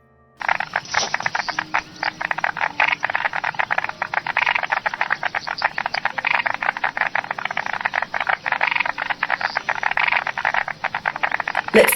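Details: A striped marsh frog call, a frog of moist, boggy areas such as Australian backyard gardens, plays through a speaker as a dense run of sharp, knocking clicks.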